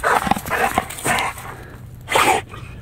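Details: American Bulldog out in the fields, giving a few short, loud barks in quick succession, a pause, then one more bark, with outdoor background noise.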